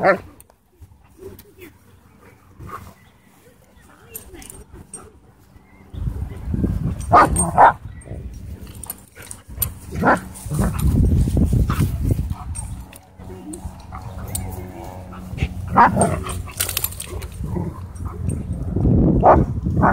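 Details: German Shorthaired Pointer, huskies and a wolf dog wrestling and racing through a dog park; after a quiet start, scattered harsh barks and growls come in bursts amid heavy low rumbling of movement and some human voices.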